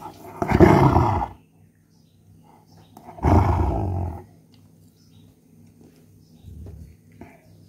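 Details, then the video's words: Angry German Shepherd, upset at being kept from chewing a coconut shell, gives two loud, rasping, low growls about three seconds apart, followed by quieter rumbles in a calm background. "German Shepherd Angry mood"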